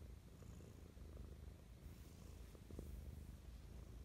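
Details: Short close recording of Mischa the cat giving affectionate morning purrs: a deep, slightly uneven rumble swelling after two and a half seconds, with light handling rustles.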